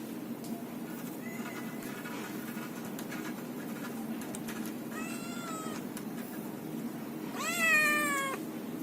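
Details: Kittens meowing: a faint short mew early on, then two stronger, drawn-out, harmonic cries, the last one loudest and gently falling in pitch, over a steady low background hum.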